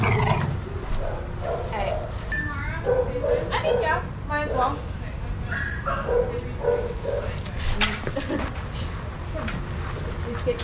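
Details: Shelter dogs at play in a yard at Pima Animal Care Center in Arizona, supervised by trained handlers; a run of quick repeated barks and yelps through the middle, over people's voices and low rumbling noise.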